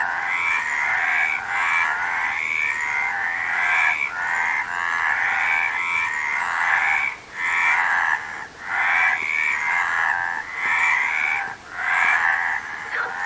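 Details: Frog chorus: dense, overlapping nasal croaks rattle on almost without a break. A few clear dips come near the end, and no other sounds stand out.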